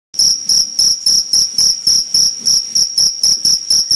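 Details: Loud cricket calling in a steady series of short, shrill chirps at a high pitch, about four per second, each pulse bright and ringing with an even higher overtone; no other sounds.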